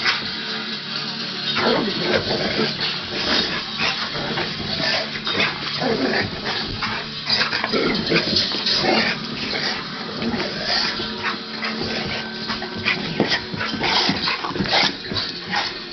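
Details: Two dogs, a Lab/Mastiff named Duke and a Pit/Chow named Orion, wrestling in play indoors; dense bursts of short barks and rough growls run throughout, with scuffling and some background sound.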